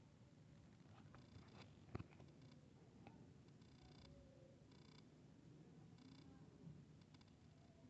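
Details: Cat purring during play between a kitten and a grown cat: a quiet, continuous low vibrating hum, broken by a few faint clicks and brief scratchy rustles.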